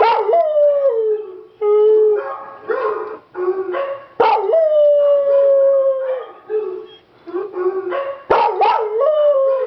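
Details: Pet dog howling in response to a recording of other dogs, his first time howling: long sustained falling howls broken by yips and wavering whines, loud and close.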